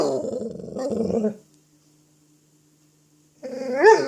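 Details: Dog playing with an apple, making a low rumbling growl for over a second, a pause of near silence, then a rising yelping whine at the end in a small room.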